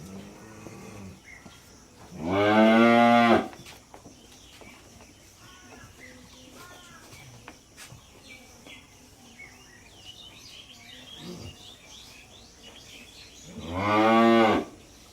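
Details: Two strong, harmonic moos from cattle at a Bangladeshi dairy farm, one near the start and one at the end, with scattered clicks, faint voices and farm noise in between.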